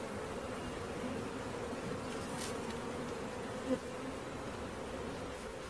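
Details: Caught honey bee swarm producing an even, sustained droning buzz; one short hiss and a single soft tap break through the constant hum.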